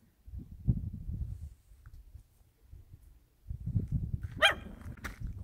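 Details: Dog in the countryside giving two sharp, loud barks near the end, after low crunching footsteps on gravel that fill most of the recording.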